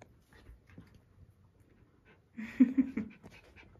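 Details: Schipperke puppy playing with a squeaky toy: soft breathy panting at first, then a sudden short burst of strained, low whining with brighter overtones lasting under a second, followed by quieter snuffling.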